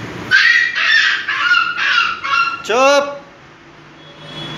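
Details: Bullmastiff named Raja, a large guard breed, barking. Five loud, deep barks come in quick succession, about one every half second, followed by a short, high yelp that slides downward.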